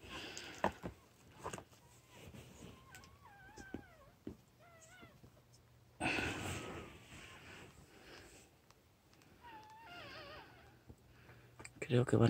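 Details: Newborn puppies give thin, wavering squeals with bright overtones, several short rising-and-falling whines scattered between clicks and soft shuffling, with a burst of broadband rustle midway.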